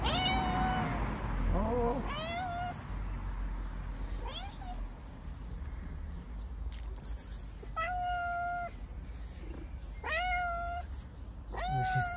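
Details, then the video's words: Cat that appeared at a door wanting in, fed cheese, giving a string of meows: some short and strained, others long level cries, about seven in total with gaps of one to three seconds. "A Cat Shows up at Our Door and Wants to Go Inside"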